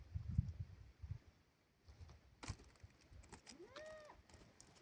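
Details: Grazing goats on a farm; a single short, nasal bleat rises and then falls near the end, after low rumbling and thumping at the start and a sharp click midway.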